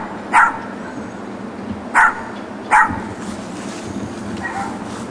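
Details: Dogs left alone in a neighbour's back yard, barking during a weekday in 2006. Three loud, punchy barks are followed by a fainter fourth, all against steady background noise.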